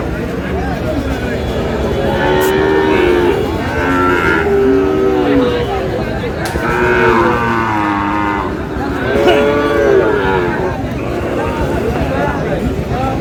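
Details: Cattle market in Madaripur, 3 April, where a Sahiwal bull calf is sold: a run of wavering, bent moos from cattle, three or four calls spread across the stretch, amid constant hubbub of people and sharp knocks.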